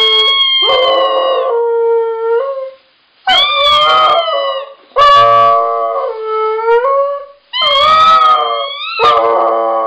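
A Siberian Husky howls in long, wavering, sung bouts with sliding pitch and yodel-like breaks.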